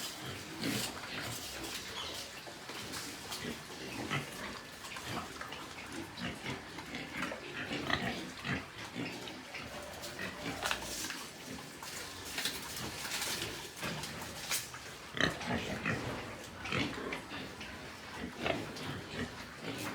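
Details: Pig farm in Nepal with white pigs: a continuous mix of overlapping grunts and snuffling noises from several animals, dense and irregular, over constant background noise.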